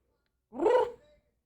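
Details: Tiny ten-year-old female house cat in heat, calling indoors in a quiet small room: one short, half-second harmonic yowl that rises and then falls in pitch, followed by a faint tail and silence.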